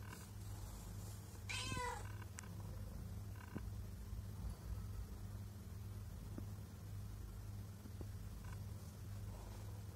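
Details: Pregnant domestic cat coming repeatedly to a person's feet, meowing and purring; one short rising-falling harmonic meow near two seconds over a steady low hum, otherwise quiet with faint soft clicks.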